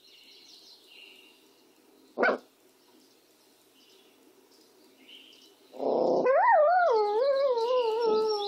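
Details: Benny, a dog, barks sharply once, then gives another bark that runs straight into a long wavering howl, its pitch rippling up and down for about two seconds. High chirping birds are faint in the background.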